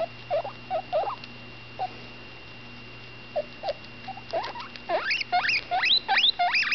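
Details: A female guinea pig pup about 10 days old, named Butterscotch, vocalises with her mouth full: scattered short chirps at first, then a quickening series of loud upward-sweeping whistles near the end, with a low background hum.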